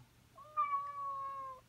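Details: Domestic cat giving its morning wake-up call to its owner, always at the same hour: one long drawn-out meow held level for about a second with a slight fall at the end, over a faint background hum.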